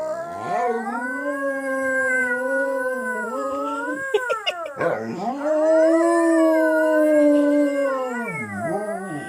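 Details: Domestic dog howling together with a girl; long sustained howls with rich stacked harmonics hold a steady pitch, dip briefly around the middle with a short catch, then swell again into a long even howl that falls at the end.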